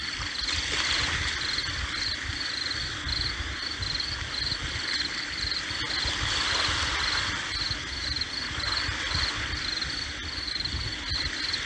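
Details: Cricket chirping beside sea waves: short high pulsed chirps repeat about twice a second over a steady broad roar of surf throughout.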